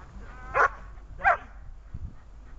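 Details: A dog barking during a training session on 26 August 2020: two sharp, harmonic barks about 0.7 seconds apart, then near quiet with a faint low rumble.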